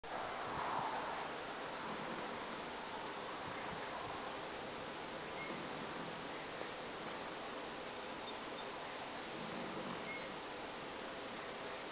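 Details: Steady broadband hiss with a low rustling wash throughout, and no distinct animal call stands out.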